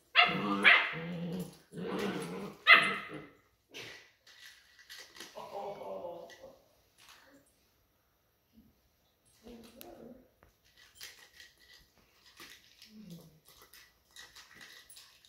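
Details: Two Weimaraner puppies, 8 and 9 weeks old, playing keep-away with a rattle toy give two loud, harsh barks, then quieter growls and yips.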